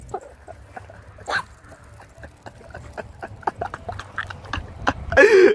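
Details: Chihuahua barking in short bursts: a clear yap near the start, scattered clicks and small noises, then a loud, harsh bark at the very end.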